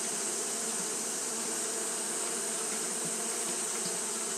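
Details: On a hot day, Japanese honey bees keep up fanning behaviour, producing a continuous many-winged drone, even and unbroken, layered over a high airy hiss.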